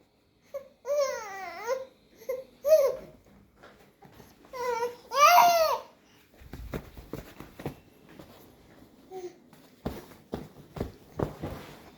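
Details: A six-month-old baby babbles and squeals in rising and falling wails indoors, followed by soft taps and bumps.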